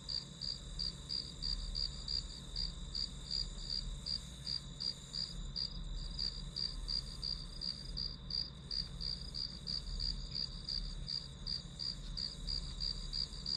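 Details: Chirping grass insects used as white noise for study: rapid, regular high-pitched pulses near three per second continuing throughout, over a steady faint hum.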